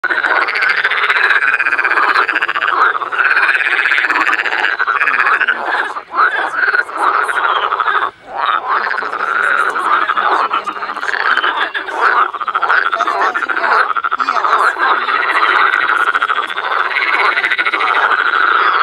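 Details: Frogs calling in spring at the Botanical Garden in Cologne, a dense, loud chorus of many overlapping croaking voices, rattling and pulsed, sustained throughout with brief dips.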